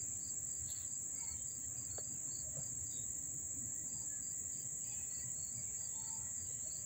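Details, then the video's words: Crickets recorded up close at Dobbs Ferry, New York, on August 1, 2014, a continuous piercing high-pitched trill steady throughout, with a lower line of evenly spaced chirps repeating several times a second and occasional faint clicks. "the chirping of the crickets"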